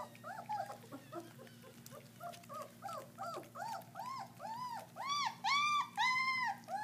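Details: German Shepherd puppies, about 3.5 weeks old, eating raw meat for the first time; high arched whines and squeals overlap in a rapid run of about two per second, growing louder and more harmonic toward the end, with a steady low hum indoors.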